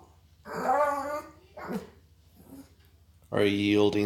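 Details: Indoors, a food-obsessed female dog called Mia makes 'talking' sounds while begging. A long, rich, howl-like moan is followed by a short grunt and a soft murmur, then a strong, sustained, wavering yowl closes the clip.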